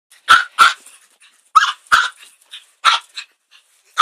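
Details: Chihuahua barking at a broom: sharp, high yaps in pairs and singles, about seven across four seconds, each short with a bright ringing tone and brief softer yips between.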